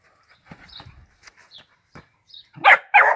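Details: Dachshund at play with a football, likened to England's Harry Kane during World Cup 2018, lets out two loud, rough barks in quick succession at the end, after quiet rustling, footsteps and soft knocks.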